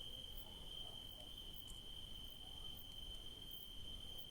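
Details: Night-time crickets where grapes grow, one continuous high, thin ringing trill holding steady over soft low-frequency background noise.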